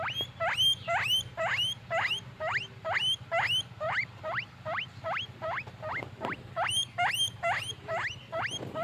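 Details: Happy pet guinea pig squeaking in a steady series of sharp upward-swooping wheeks, roughly two per second, with bright harmonics above and a faint low hum beneath.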